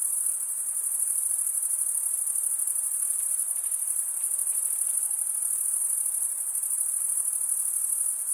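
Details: Crickets chirping, the males stridulating with their wings, fill the air with a bright, unbroken high-pitched trill, uniform in volume, over a quiet hiss with a few faint scattered clicks.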